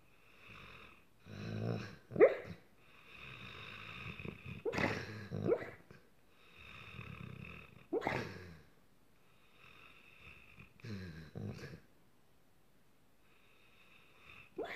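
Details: A dog asleep after a long hard day, dreaming and making funny noises: breathy snoring wheezes and snuffles in irregular bursts, with a few sharper squeaky whimpers standing out among the rasping breaths indoors.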